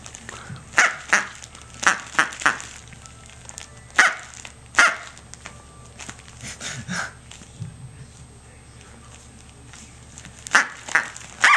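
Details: A 6-7-week-old female Corgi puppy named Tic-tac barks while playing with her toy duck, Mr. Duck. Bursts of short, high yappy barks come in clusters, some rapid and some spaced, over faint background music.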